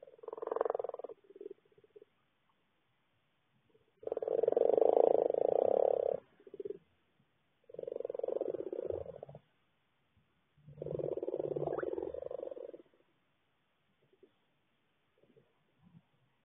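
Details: Noisy frogs calling in rattling, purr-like trills lasting about two seconds each, four main bursts separated by quiet gaps with faint softer croaks.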